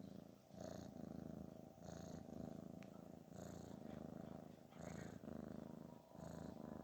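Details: Snoring from a cat named Garfield, expressing relaxation and pleasure: a deep, continuous vibrating rumble rising and falling in even breath cycles roughly every one and a half seconds, with soft airy hiss at each breath.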